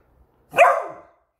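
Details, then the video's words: Male pet Beagle in alert mode, barking at a new squeaky toy: one sharp, loud bark lasting about half a second, falling in pitch at the end, with a quiet room around it. "Which Toys Cause a Beagle To Bark?"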